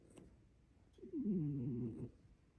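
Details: Sleeping cat snoring loudly indoors: one low, wavering, nasal snore breath lasting about a second, against faint room noise.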